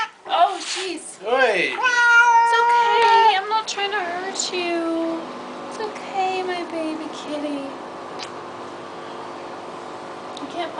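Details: Baxter, a domestic cat getting a flea bath he dislikes, gives a run of loud, wavering, falling meows in quick succession, then weaker drawn-out cries trailing off while a person speaks soothingly nearby.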